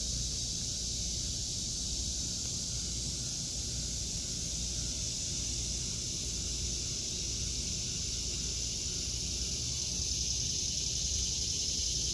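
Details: August 2023 garden with cicadas droning: a continuous hissing, high-pitched buzz that stays even for the whole stretch, some faint low background rumble.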